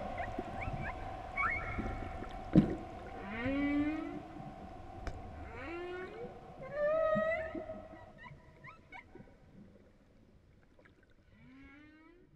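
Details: Humpback whale song: a varied run of rising, swooping moans and whistled upsweeps, some layered in bright harmonics. A steady droning tone runs underneath, and a relaxing music track accompanies the whale sounds.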